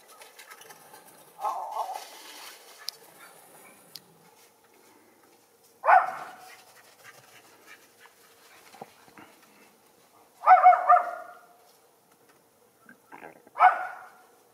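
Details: Young Schipperke dogs, a pair, out in the snow of a backyard where deer roam; a soft whine opens, followed by three loud, clipped barks spaced a few seconds apart, the last two closer together.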